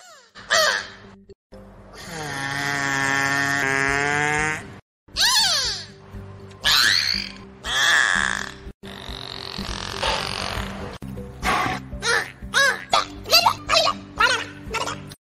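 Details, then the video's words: Beluga whale vocalizations, the "canaries of the sea": squealing harmonic whistles, swooping chirps and rapid pulsed bursts over background music. "the beluga whale often dubbed the canaries of the sea showcases an extensive repertoire of vocalizations"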